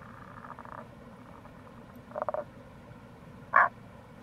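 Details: Tago's brown frog in April near a gorge on the Kamo River, Itoshima, Japan. A faint rattling burst, then a short rapid triple croak, then one sharp louder croak, all against a steady low rushing background.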